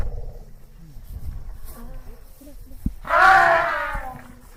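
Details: Asian elephant trumpeting: after a few seconds of low, quiet rumbling and faint background sounds, a loud harsh blast with stacked harmonics bursts out and fades over about a second and a half.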